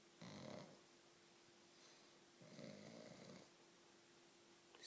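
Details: Sleeping pug snoring indoors: two long, breathy, rumbling snores about two seconds apart, broad noisy texture with a faint steady hum underneath.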